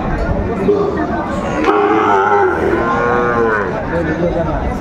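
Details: Sahiwal bull calves at a Pabna livestock market on 30 June 2024: a drawn-out harmonic moo swells midway and fades, over constant crowd chatter and bargaining voices.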